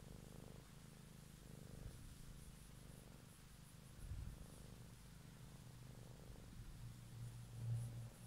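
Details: Domestic cat purring in the evening, recorded up close for ASMR; a soft, low rumble with gentle in-and-out breathing pulses, fainter than the background hum in places, with a slightly louder swell near the end.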